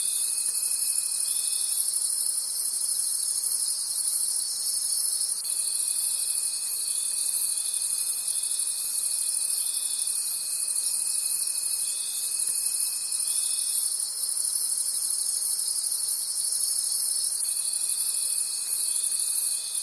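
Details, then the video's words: A nocturnal forest cricket chorus: continuous piercing trills beating roughly three pulses per second, layered over a lower sustained tone that drops out and resumes several times. "Forest Sounds and Cricket Conversations at Night"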